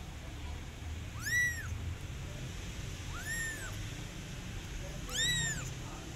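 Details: Kitten calling for its mother cat, giving three bright, arched meows about two seconds apart, each swelling up and falling away, with low background rumble throughout.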